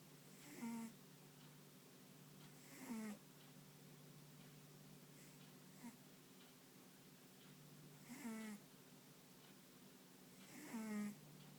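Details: Sound asleep, a dog snores with short nasal whistles that slide downward, four breaths spaced a few seconds apart, faint against a constant low hum in a quiet room.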